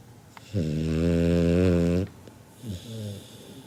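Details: Loud sleeping snore from Kinako, a seven-month-old Labrador Retriever pup said to snore like an old man: a steady, rumbling, harmonic drone lasting around one and a half seconds, then a quieter fluttering breath out.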